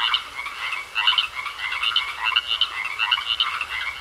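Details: Croaking frogs in a pond: loud clusters of harsh, ratchety croaks roughly twice a second, overlapping voices forming a dense chorus.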